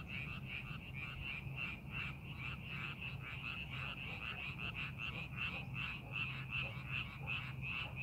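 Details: Chorus of frogs in rice paddies readied for the farming season, set in a scenic landscape: continuous pulsing, trilled croaks repeating roughly every third of a second, with a steady low hum beneath.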